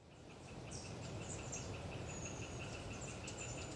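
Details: Hyla orientalis tree frogs chattering on a windy autumn day in the Galeriç Swamp Forest, Kızılırmak Delta, Samsun: a steady train of rapid mid-pitched pulses runs throughout, with thin high calls of long-tailed tits above and a heavy low wind rumble.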